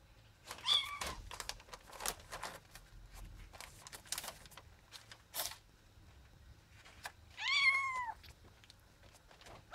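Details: Two short meows from Ginger, a cat, spaced several seconds apart, the second arching slightly downward; tapping and scraping noises fill the gaps between calls.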